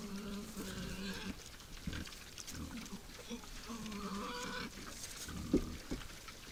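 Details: Wild boars at night at a forest feeding site give drawn-out, nasal squeals, several in a row, mixed with low grunting and snuffling; a soft crackle of movement underneath.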